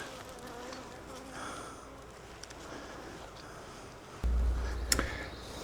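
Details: Wild honey bee swarm, hanging from a tree branch, being collected into a 5-frame nuc box: a steady, dense hum of many bees runs throughout, with handling knocks and low thumps toward the end.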